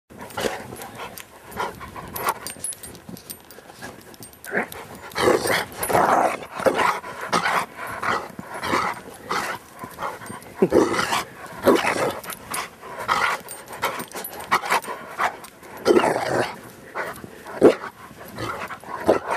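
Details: A Rottweiler playing in the snow in Maryland on a Saturday afternoon in December gives rough, irregular bursts of growly, huffing noise in quick uneven runs.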